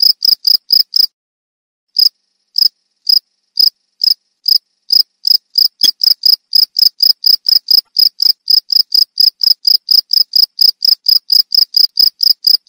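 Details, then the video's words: Chirping cricket: a few high, clear chirps, then a second of silence, then sparse, irregular chirps that quicken into a steady, rapid series of short, ringing pulses, several per second, through to the end. "Suara Jangkrik Merdu"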